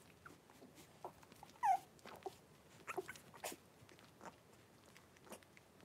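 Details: Blenheim Cavalier King Charles Spaniel puppies, a litter of five born on New Year's, with their mother Paris in an indoor puppy pen, January 26, 2023. One short, high squealing whine bends downward amid soft clicks, rustling and pattering paws.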